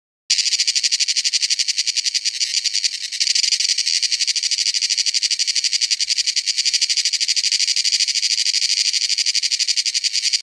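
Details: Cicada singing in a forest; a loud, dense, high buzzing trill made of rapid pulses, steady and unbroken for the whole stretch after a sharp start, with no other sounds.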